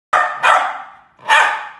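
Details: A poodle puppy gives three sharp, fairly high barks, the first two close together and the last after a pause.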